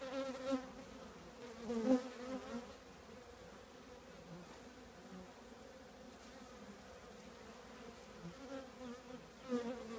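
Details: Many honey bees of a colony in an old trash can, a steady humming drone with several sharp, brief swells as bees zip past close by, at about two, five and nine seconds.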